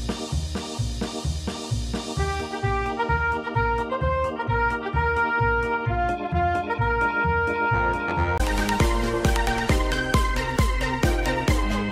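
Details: Upbeat swing-style music with keyboard, organ and brass over a steady bass beat, fuller and brighter after about eight seconds; no animal voice is heard.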